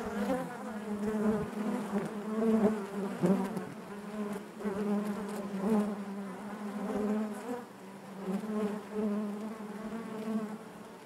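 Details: Inside a honey bee hive, a thick humming buzz with a low fundamental and rich harmonics rises and falls in waves, broken by a few soft knocks and a brief dip near the end.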